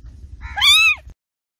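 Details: Cat letting out a single short meow that starts thin, swells and bends downward at the end, with a faint low rumble beforehand.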